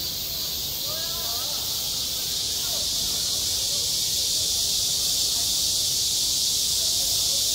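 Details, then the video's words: Cicadas sing in the midsummer heat over a school playground, an intense, unbroken high buzz growing slightly louder, with a few faint distant voices of children. "한 여름 운동장에서 매미가 울고 있다 - 여름의 소리, 학교 종소리, 매미 울음소리"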